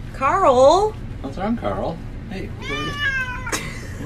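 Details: Pet cat talking back to its owner indoors, one strong wavering meow followed by softer chirping calls and a final drawn-out meow, mixed with a person's speech.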